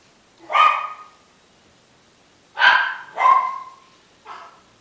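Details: Male Miniature Schnauzer puppy, liver and tan, 17 days old, at a breeder in Shizuoka, Japan, recorded January 10; four squeaky, falling whines with clear harmonics, two single then a quick pair, over near silence.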